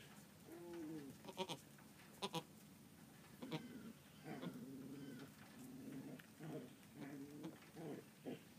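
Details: Newborn Angora goat kid on its first morning of life, giving a series of short, wavering, mid-pitched bleats, one near the start and several clustered in the second half, with scattered sharp knocks and rustling close by.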